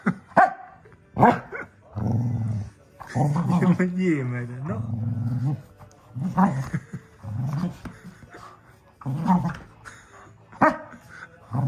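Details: A red cocker spaniel male, frustrated after a haircut, plays tug-of-war with his stuffed chicken, giving low, rumbling growls broken by short, sharp barks.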